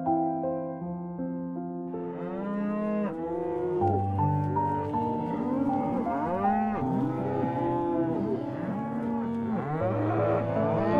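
Several cows moo in overlapping, drawn-out calls that rise and fall, with faint music beneath.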